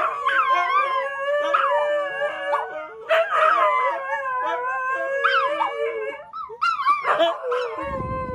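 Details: Siberian Husky Tony sings at 1 AM after waking his owner: repeated warbling howls roughly every two seconds, each bending up then down, with a brief rustle at the end.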